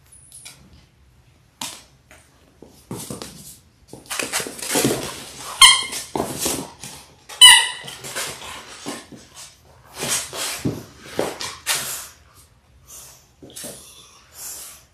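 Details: Six-week-old Labrador Retriever puppies, a litter of six born January 18, 2022, on an indoor puppy cam on February 28: a few short, high squeaky yelps mid-way amid constant scuffling, thumps and rustling.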